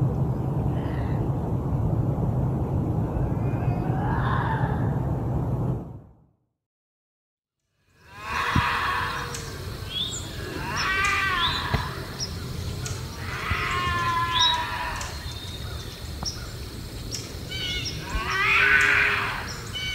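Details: Bobcat howls and growls used to repel raccoons and rodents. Rough, strained screeching cries come in irregular bursts, with a brief silent gap early on and a low rumble underneath throughout.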